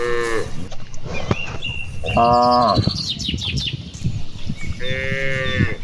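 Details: Cattle grazing among rice fields in the afternoon, part of a herd calling back and forth: a brief moo at the start, a longer moo around two seconds, and another starting near five seconds, with birds chirping throughout.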